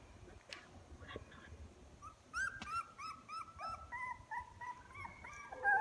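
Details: Young puppies growing louder as they develop, now walking more and opening their eyes, let out a run of high, drawn-out whines that step up and down in pitch, following a few faint clicks.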